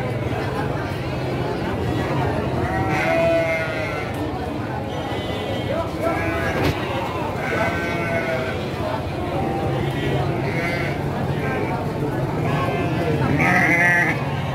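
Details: Garut ewes for sale at Pasar Andir livestock market, where sheep and goats are traded Monday and Thursday mornings; repeated nasal bleats come from several animals, clustered around 3, 6-8 and 13-14 seconds, amid continuous human chatter and market noise.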